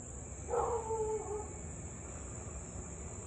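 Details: A Siberian Husky in Louisville, barking and howling for nearly 30 minutes straight at 6:24 pm on 3 August 2021, gives one brief, tonal howling cry that sags slightly in pitch before fading.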